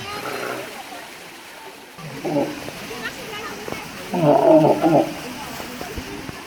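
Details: Walrus (Odobenus rosmarus), call.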